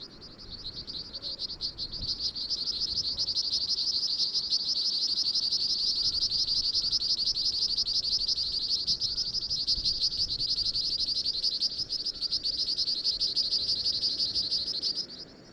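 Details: Cope's swamp frog (Pseudopaludicola mystacalis) gives a high, thin, rapidly pulsed trill that runs almost without pause.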